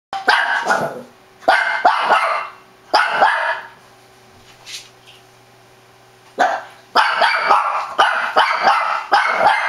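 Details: Shih Tzu barking excitedly in loud bursts, each volley of sharp, rapid barks lasting about half a second to a second, separated by short quiet gaps, with a faint steady hum underneath.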